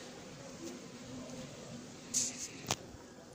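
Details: Quiet indoor room tone with faint low murmuring, then a few sharp clicks and brief bright rustles near the end.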